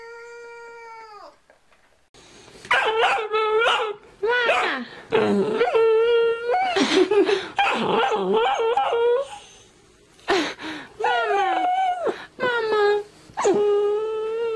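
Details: Playing Boxer puppies howl in a run of sustained, quavering tonal cries with bright overtones. Some bend upward and others slide down, and the cries overlap in bursts separated by brief pauses.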